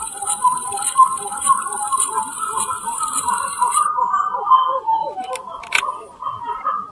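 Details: A titi monkey band, black-fronted, calls persistently in the Serra da Mantiqueira, Pindamonhangaba, São Paulo, January 2018, as two animals observe curiously. Quick repeated chattering pulses, with a high insect drone during the first half and a couple of clicks later.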